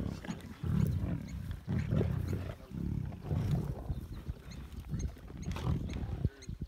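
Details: A pride of lions fighting over a freshly killed impala: deep, rough growls and grunts come in bursts about once a second, with some noise of scuffling.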